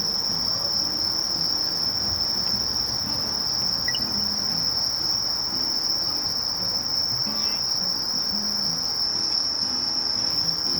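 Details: Sasakiri katydid song: one sustained high buzz at constant pitch and loudness, while faint brief chirps and a low background murmur come and go.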